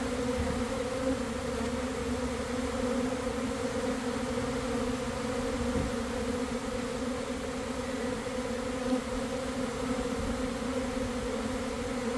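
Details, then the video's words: Honey bee swarm settling into a cluster at a garden hive in early afternoon after cold, damp weather, a few bees fanning; constant, smooth droning buzz with steady banded tones lasting throughout. "Catching a Swarm in Real Time!"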